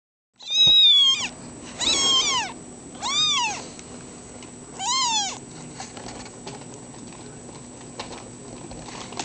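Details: Foster kittens meowing: four loud, high, arched meows with rich harmonics come in quick succession over about five seconds, each rising then falling, followed by quieter rustling and faint background sounds.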